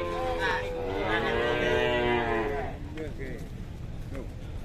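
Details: Cow in Indonesia, described as aggressive on arrival from a cattle workshop: a loud, rich, harmonic moo that rises then falls over nearly three seconds, followed by short faint calls and background noise.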